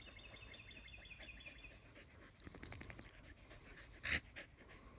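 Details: Australian Shepherds lounging in the shade under a willow tree; soft, rhythmic breathy panting in quick bursts, a faint high thin whine over the first two seconds, and a sharp brief click near the end.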